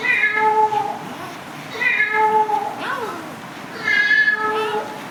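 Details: Cat giving three long, wavering meows about two seconds apart, with a faint voice or brief sliding sound between the second and third calls.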